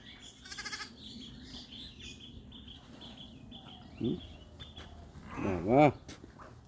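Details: Sheep returning home from pasture to their shed in the evening, Bangladesh farm; one short bleat then a louder wavering bleat near the end, with a man talking and background chatter.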